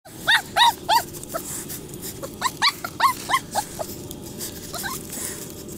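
Cocker Spaniel puppies about six weeks old make thin, high yips that rise and fall, several in quick succession and then a pause. A soft background hiss runs underneath.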